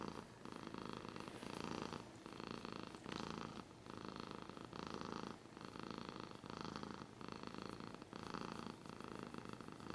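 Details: Rhythmic purring of a pet cat recorded closely, each breath a buzzy rumbling burst lasting about a second, separated by short soft pauses, steady and unbroken throughout.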